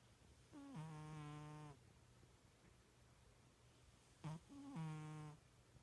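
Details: Snoring pet cat asleep indoors, sounding like a little pig: two low buzzy snores about four seconds apart, the first long and even, the second preceded by a short snort, with near silence between breaths.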